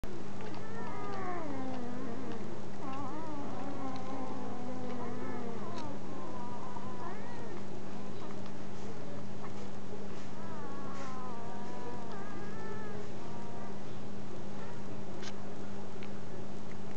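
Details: Newborn German Shepherd puppies whine and whimper in wavering, high, squeaky cries over a steady low hum.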